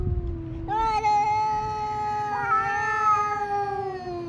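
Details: Fighting cats met on a walk around a fishing port: a sustained, steady, high nasal yowl held for several seconds, with a second voice overlapping in a slightly different pitch.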